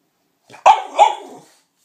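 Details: A dog giving a short double bark, a sharp first yap followed by a slightly longer second bark, in otherwise quiet surroundings.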